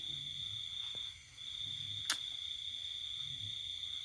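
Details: Cricket calling at night during the pandemic season, heard in a countryside house while everyone sleeps: a steady, unbroken high-pitched trill runs through the clip, with a brief click near the middle and faint low background hum.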